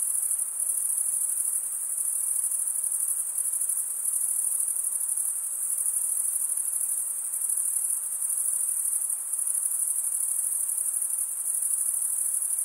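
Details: ['Male crickets stridulating by running one wing across the comb-like teeth of the other produce an even, piercing high chorus that never breaks, its loudness rising and falling only slightly.']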